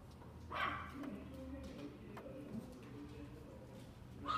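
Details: Toy Poodle at a pet shop in Fuji, Japan, letting out one quick, high yap early on, then quieter murmuring voices and a faint second yelp at the end.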